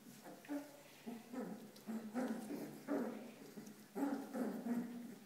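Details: Corgi puppies playing together in their park, giving a run of short, harmonic yelps and grumbling whines in quick bursts, about eight in five seconds, with no other clear sounds.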